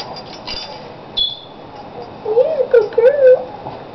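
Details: Jenna, a female rescue dog who dislikes being brushed, whines during a brushing session indoors: a wavering, warbling mid-pitched whine of about a second, preceded by soft brush strokes, with a woman's soothing voice nearby.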